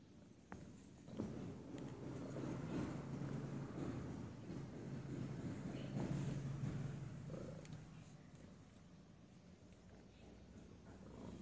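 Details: Domestic cat purring: a steady, low rumbling drone that runs almost unbroken through the whole stretch, softly pulsing, with faint background hiss and a few light knocks.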